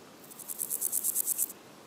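A meadow grasshopper stridulates in a short, dry, high-pitched burst, roughly ten scratchy pulses a second for just over a second. Little else is heard beyond faint background hiss.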